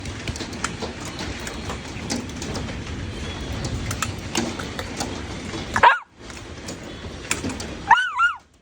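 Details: Pet poodle giving two short, high, yelping barks with sweeping pitch near the end, after a long stretch of loud, steady rushing noise during unusual weather.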